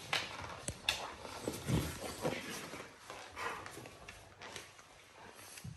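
A Cane Corso makes short, rough, grunting and growly play noises mixed with scuffling thumps.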